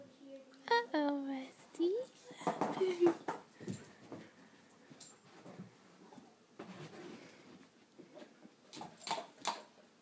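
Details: Rusty, a chocolate Labrador, trying to eat his bone indoors: a few high, tonal whines with a short rising squeak in the first two seconds, then scattered clicks and knocks, with human speech heard throughout.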